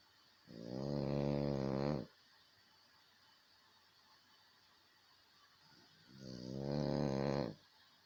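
A French Bulldog snores twice, each a low, rattling, buzzy breath lasting over a second.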